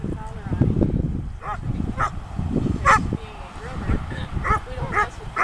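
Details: Slash, a Poodle on only his second protection-training session on the field, barks in sharp, loud bursts, several in quick succession near the end, while a person talks throughout.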